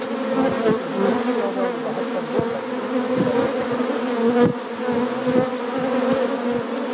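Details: Brown bees of the subspecies Apis mellifera mellifera flying in and out at a hive entrance; a steady, dense droning hum with many overlapping wingbeats and brief louder passes of individual bees close by.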